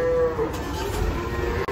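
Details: A large cow is unloaded from a truck and gives a short, deep moo that fades into a lower murmur, with faint background music and crowd noise around it.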